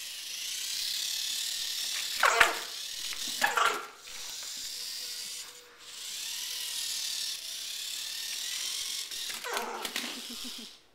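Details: Female Border Collie barking in short bursts, three sharp barks spaced a second or more apart, separated by a steady loud hiss of running water or wind.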